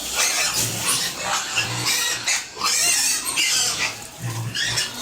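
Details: Farm pigs and piglets at feeding give pulsing, shrill squeals in short bursts about every half second, mixed with deep grunts underneath, several animals calling together.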